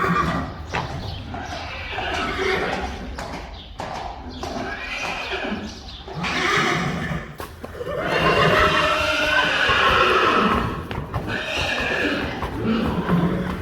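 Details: Friesian horses from a stable of 25 neighing amid hoof clatter and knocking: drawn-out harmonic whinnies rising and falling, loudest in the second half, with faint voices.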